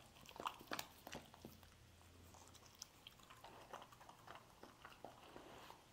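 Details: A dog eats scrambled egg: sharp crunchy clicks and wet smacks come in quick bursts, about three per second, loudest near the start, with a faint low hum underneath.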